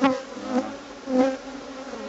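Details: Agitated honey bees landing on a visitor during a hive inspection; droning buzz that swells and fades in pulses roughly every half second as bees fly close past.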